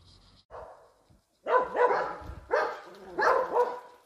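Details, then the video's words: Dobermann guarding its home, giving deep, hoarse barks: a faint lower sound early on, then four loud, harsh barks in two pairs over about two seconds, each with a rough, falling tail. "Dobermann home protection. Dobermann guardia in casa"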